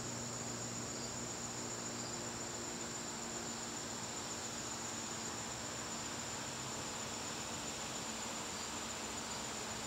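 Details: Crickets in a garden on a September evening, a steady high-pitched shimmering trill that holds unbroken through the whole stretch, with a faint low hum underneath.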